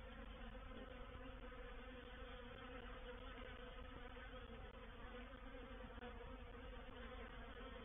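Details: Many honey bees of a reproductive swarm settling into a bait hive, Painted Peacock Manor, 04/07/21; thick, steady hum of wingbeats with no pauses, a constant mass buzz.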